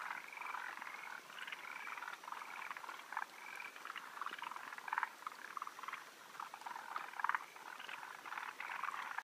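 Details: Forest green tree frogs gathered to spawn on 16 June 2013, with males perched up high awaiting females; continuous overlapping bursts of clucking, rattled calls forming a busy, steady chorus.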